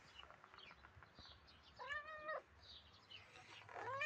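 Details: Small grey cat, apparently a stray, giving one clear meow of about half a second at mid-clip, with a second meow rising at the very end over faint outdoor background noise and bird chirps.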